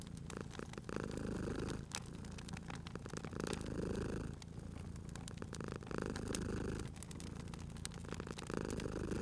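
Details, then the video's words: Cozy indoor scene of a cat purring near an open fire: low continuous rumble rising and falling with each breath while wood crackles and snaps sharply. "Cute Purring Cat at a Crackling Fireplace"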